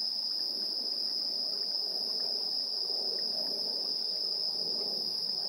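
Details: Evening insect chorus at 7:04 PM, 3 September 2022, captured with a portable recorder's built-in AB stereo microphones: a continuous shrill ringing tone holds without pause above a rustling bed of fainter chirps.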